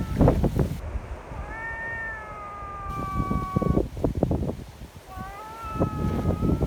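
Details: Friendly community cats meeting in a strong wind and seeking petting; two drawn-out meows, the first long and slightly falling, the second rising then level, with gusty wind noise and handling bumps beneath.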